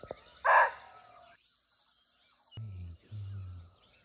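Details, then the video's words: Barking deer, or muntjac, calling unseen in its forest habitat in Nepal. One loud, clipped bark opens the recording, followed by quiet, a sharp tap, and low rumbling hum beneath a continuous insect whine. "Real Barking Deer Call"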